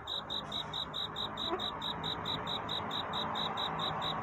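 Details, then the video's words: Cricket singing at night to court a mate: evenly spaced high ringing chirps, about three per second, over a steady broad hiss of background noise. "귀뚜라미 울음소리. 슬퍼 말아요 우는 것이 아니라 사랑을 찾는 노래랍니다"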